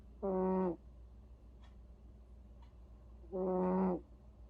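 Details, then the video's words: Sleeping cat named Vere snores, each drawn-out breath a buzzy, harmonic rasp lasting about half a second, two of them spaced around three seconds apart over a low steady background hum. "베레 코골이"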